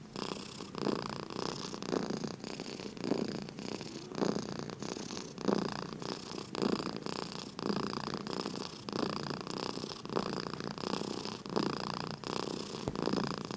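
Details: Sleeping house cat purring, an even low buzzing rumble rising and falling with each breath roughly every second, continuous and calm throughout.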